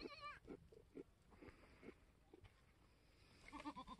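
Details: Mini Alpine goat kid, a newborn F4 buckling born on a homestead on March 13, 2021; a wavering, quavering bleat opens the recording, soft grunting sounds follow, and another tremulous bleat closes it.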